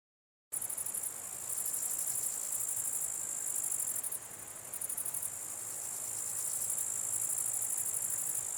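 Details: Grasshoppers buzzing at night, many together: after half a second of silence a dense, high, hissing drone sets in, swelling into pulsed, rattling stretches that stop and start every second or so, with one brief dip midway.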